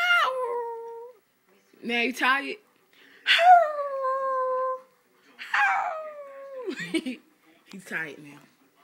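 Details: A 7-month-old Rottweiler howls in drawn-out, wavering tones that slide downward, broken by short yowling bursts. The owner says the dog is howling because it is mad at him.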